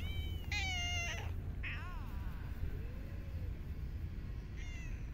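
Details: Street cat being fed in a park; loud, harmonic-rich meows: a long bright cry, then a wavering, descending one, a quiet pause, and a final rising meow, over a constant low urban hum.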